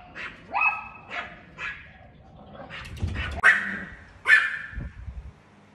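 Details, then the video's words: Chihuahua barking at a cat, a handful of scattered, high-pitched yaps separated by quiet gaps, with a couple of louder, harsher barks near the end and faint thumps. "Cute Chihuahua Dog Barking At A Cat"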